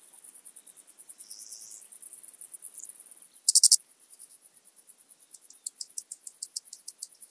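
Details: Arcyptera microptera stridulating in Hungary, Zalahalap, 18 July 2022: a steady train of thin, high clicking pulses, several per second, broken by a short loud rasping buzz at about three and a half seconds.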